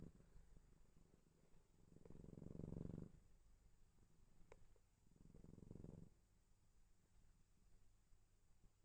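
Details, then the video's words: Asleep indoors, a cat gives two soft, low rumbling snore-purrs a few seconds apart, with near silence and faint breathing in between. "Cat snores and purrs"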